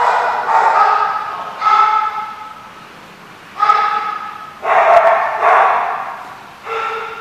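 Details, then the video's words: A dog gives loud, drawn-out barks with a howling tone, coming in separate bursts about one to two seconds apart and with brief silences between them. "The Barking Lot"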